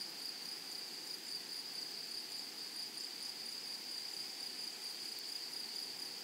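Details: Meadow grasshoppers on a flowering prairie give a continuous thin, high-pitched trill without pauses, over a broad soft hiss of outdoor background noise.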